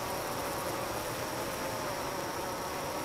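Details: A dense, unbroken drone from honey bees in four hives at night, a low steady hum with a hissing edge. The colonies are evaporating nectar into honey, with some bees clustered outside the hives.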